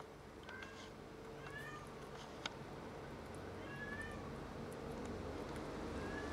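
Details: Cat that brought in a caught rat, giving soft, thin meows at intervals over a steady low hum and rising background noise.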